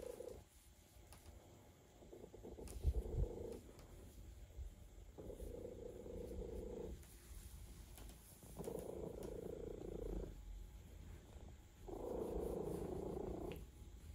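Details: Relaxed male cat purring while being given a massage; soft, low purring comes in several bursts of one to two seconds, separated by quieter breathing gaps, with faint rubbing and handling noise.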